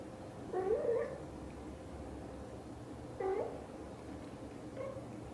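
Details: Indoor British Shorthair mother cat, blue golden coat, talking to her kittens with three soft trilled chirrups: a longer warbling one, a short rising one, then a faint brief one, spaced about two seconds apart over a low room hum.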